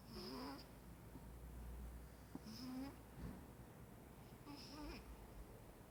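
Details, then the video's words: Maine Coon cat asleep and snoring at home, a quiet room with three soft wheezy snores spaced roughly two seconds apart over a low background hum. "Main Coon Kitty beim schnarchen"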